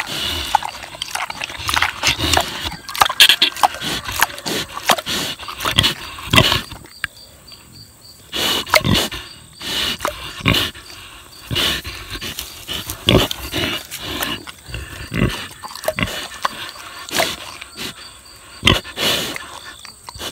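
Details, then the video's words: Boar pig, six years old, savoring tomatoes: dense crackling, clicking smacks and chewing noises throughout, louder and busier in the first seconds, quieter pauses between bursts later on. "Boar Pig Eats Tomatoes - ASMR / Smacking Sounds"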